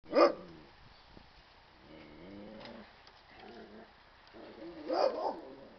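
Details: Komondor puppies kept alongside other dogs: a sharp bark opens, soft whining tones follow in the middle, then another loud bark near the end, with quiet room noise between.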